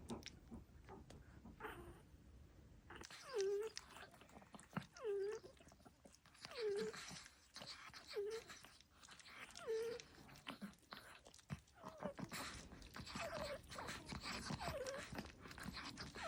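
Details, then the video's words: Sleeping Chihuahua puppy gives whiny, squeaky snores that dip in pitch, about one every one and a half seconds, with rustling and faint voices later on. "Snoring baby"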